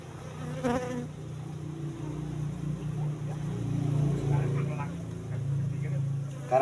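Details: Asian honey bees (Apis cerana) kept in a cultivation box, moved from the forest about three months earlier, during a honey harvest: a steady low droning hum with layered overtones, swelling slightly midway, with brief human voices and handling noises.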